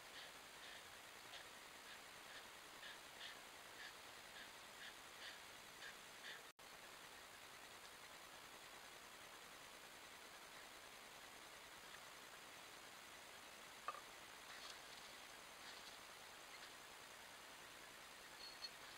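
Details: A hedgehog gives soft, rhythmic huffing snorts, about two per second, during courtship on 12 July.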